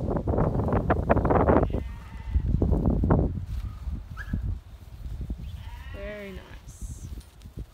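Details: Goats being herded by a six-month-old stockdog; one short wavering bleat sounds near the end, after a stretch of rustling, thumping movement and faint voices, followed by a brief high whistle.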